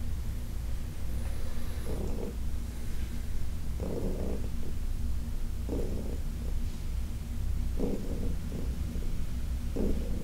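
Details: Heidi, a senior cat from the Humane Society of New York City, rumbling softly during a massage; a low steady drone broken by regular puffs of breath about every two seconds, with hand contact noises.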